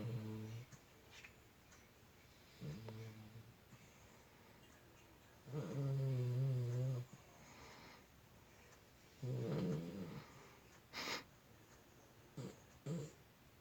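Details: Puppy snoring while asleep: low, rumbling snores of uneven length come in bursts, with quiet gaps, short clicks and faint rustling between them.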